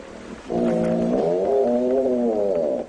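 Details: Young male hippopotamus bellowing his challenge at the dominant male in an African river; one sustained, resonant, horn-like bellow lasting over two seconds, its pitch dipping midway and then holding steady.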